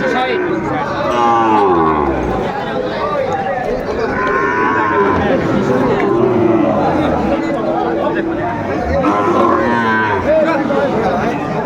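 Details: Sahiwal bull calves at a busy cattle market where Comilla farmers come to buy, 6 July 2024: several overlapping mooing calls with wavering pitch, some rising then falling, over constant crowd chatter and bargaining voices.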